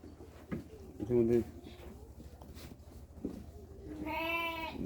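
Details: Sheep on a Bangladesh farm coming home from a day's grazing with their mothers; a short harmonic bleat early, then a longer, steady, nasal bleat at the end, amid a man's speech and farmyard noise.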